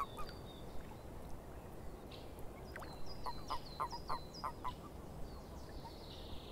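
Frogs give a quick run of clicking, rattling calls over a steady low rumble of swamp background.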